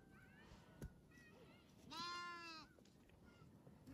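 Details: Baby goats, kids fighting over a feeder bottle, give a single loud, harmonic bleat lasting under a second, wavering slightly, with fainter bleats and soft background noise around it.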